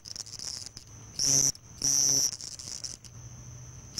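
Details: House cricket males stridulating at nightfall in summer near homes at Hammam Lif on the Gulf of Tunis coast, Tunisia: a steady high shrill trill with two louder, longer buzzing bursts around the middle.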